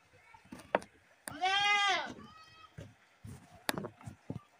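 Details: Goat giving a single loud, drawn-out harmonic scream lasting under a second, slightly arched in pitch, amid scattered clicks, knocks and faint voices.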